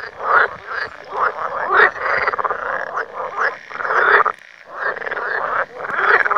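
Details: Frogs at an out-of-the-way place in Lithuania, away from people. Many voices make a loud, continuous rattling croak chorus that surges in long bursts, broken by one short quiet gap midway.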